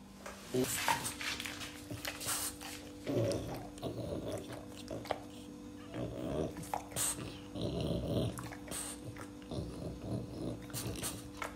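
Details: French Bulldog eating persimmon after a walk, giving bursts of low, rough snorting grunts near three, six and eight seconds between quieter chewing and sniffing noises, with a steady electrical hum and a brief human word.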